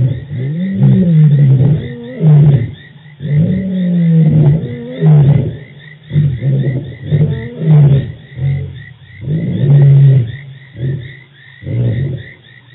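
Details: Male lions of the Birmingham Boys coalition giving dominant roars at the dam, Djuma Game Reserve, 24 March 2018; low, throaty grunting roars repeat in short bursts, then taper off, while frogs keep up a high trill.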